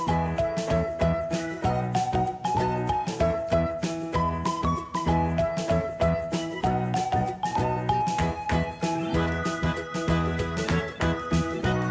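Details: Bright, bouncy instrumental music with a steady beat and chiming melody fills the whole recording, with no animal sound standing out.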